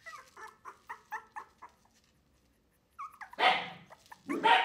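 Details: Three-week-old Wire-haired Miniature Dachshund puppies from one litter, unhappy at being given milk by a human instead of their mother; a run of short high whimpers about four per second, a pause, then louder drawn-out whining cries.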